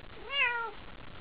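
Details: Pet cat Haiko meows in excitement over a toy at night: a single rich harmonic meow rising then gently falling, under a second long, in a quiet room.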